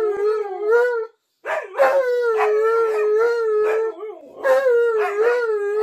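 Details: {'caption': 'Indoor bathroom howling from Tonka, an Alaskan Malamute who keeps following the owner in: a brief opening wail, a silent gap, then a long steady mid-pitched howl with choppy yodel-like breaks and a rising final phrase.'}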